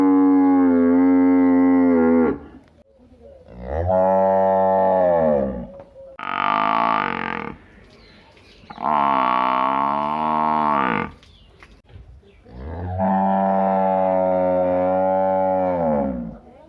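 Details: Village buffalo giving long, low, harmonic-rich moos, each lasting about two seconds, five calls separated by short pauses, with some rising and falling in pitch; no other clear sounds.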